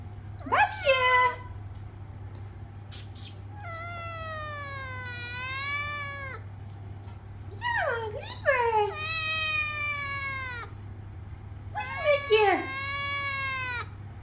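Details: Babs, a three-month-old traditional Thai Siamese kitten born 26 October 2015, talking back to her owner's voice indoors: four drawn-out, harmonically rich meows, wavering and sliding down at the ends, mixed with short sharp yelps over a steady low hum.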